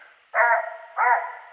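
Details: Dog on a squirrel hunt in January 2018: two hoarse barks about half a second apart, each a short burst followed by a fading tail.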